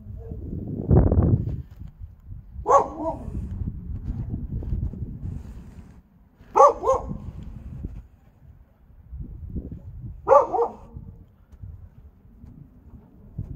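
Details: Siberian Husky confronting what is described as its most hated enemy; three short, hoarse bark bursts spaced about four seconds apart, with low rumbling background noise and handling sounds between them.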